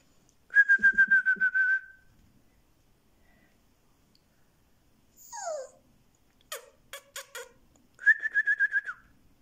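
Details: Male black-and-white Siberian Husky puppy, born 7 October 2020, at a Moscow kennel, frightened and trembling while filmed indoors: two bursts of rapid, steady high pulsed whines, about eight pulses each, separated by a brief falling squeak and clicking sounds.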